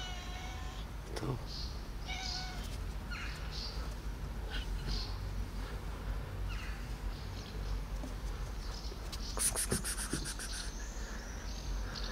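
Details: Ten street cats gather around a person outdoors. Several short, rising meows come in the first few seconds, with a few more later, then a burst of rapid clicking near the end, all over a steady low background hum.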